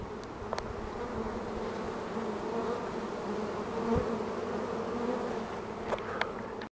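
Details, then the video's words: Honeybee swarm being caged, a steady droning hum of many wings, with brief clicks and taps from handling scattered across the recording. "Caging a Swarm Of Honeybees"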